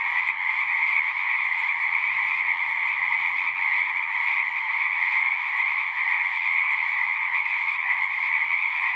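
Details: Natural night chorus of singing frogs: a thick, ceaseless trilling in two stacked pitch bands, uniform in level from start to finish, with only a faint low background hum.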